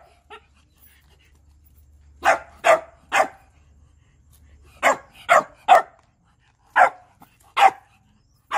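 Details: Shiba Inu barking to beg for food, a series of sharp bow-wow barks in bursts of three, around two to three seconds apart, some fierce and some gentle; a faint low hum underneath.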